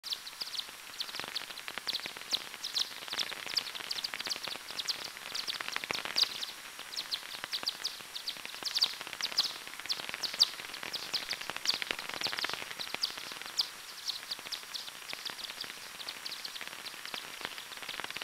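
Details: Daubenton's bat hunting over a small river near Plön, time-expanded recording: dense series of short clicks and sweeping pulses packed closely together, many overlapping, steady through the whole stretch with no other sounds.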